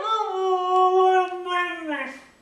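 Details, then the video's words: Pet dog Mishka producing her 'I want my Mommy' talk: a sustained, even howl with strong layered overtones, held for about two seconds, then a slight bend and falling tail as it fades, in a quiet room. "Mishka says "I want my Mommy!""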